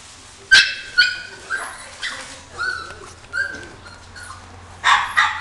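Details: Female Chihuahua giving short, high-pitched yapping barks in an irregular series of about ten over five seconds, some sharp and some softer and whiny, with a faint steady low hum underneath.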